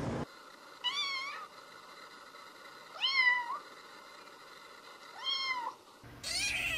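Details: Kitten meowing to call for attention: three clear, tonal mews, each rising then falling and lasting about half a second, spaced roughly two seconds apart over a quiet indoor background.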